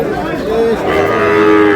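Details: Short, steady, tonal lowing from Sahiwal bull calves at a market day near Satkhira, 10 May, held level for about a second beneath crowd chatter and nearby talking.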